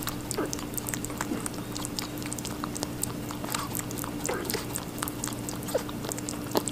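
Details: Rabbit eating watermelon: soft, irregular crunchy clicks and small wet bites scattered through the clip, fairly quiet, with a constant low hum underneath.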